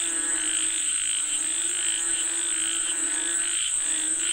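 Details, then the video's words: Frogs calling for rain: overlapping croaks pulse in short bursts, harmonic and buzzy, while a steady high-pitched whine holds beneath them the whole time. "Listen to the Sound of Frogs Calling For Rain 🌧️🐸 เสียงกบเรียกฝนตก"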